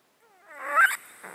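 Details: Domestic cat sleeping in a box, its breathing snotty from a disease it has had for 13 years. A single short, rising, wheezing intake with a whistled tone, closing in an airy rasp, recorded close up.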